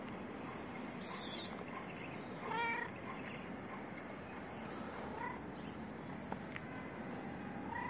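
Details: White-gray stray street cat following a person for attention; a short rising meow near the middle, a fainter one later, with a sharp clack early on over steady outdoor background noise.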